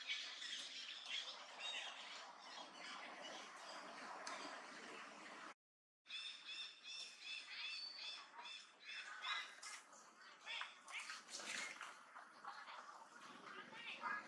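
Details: Macaque named Duchess in the Angkor Archaeological Area near Siem Reap, Cambodia, shouting loudly on seeing an enemy approach: harsh, piercing squawks and screams repeated in bursts, with a short silent gap midway.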